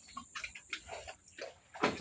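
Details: A sow gives short, rough grunts and snorts in a few brief bursts over two seconds, ending with a louder, harsher burst, with faint knocking and clatter in the background.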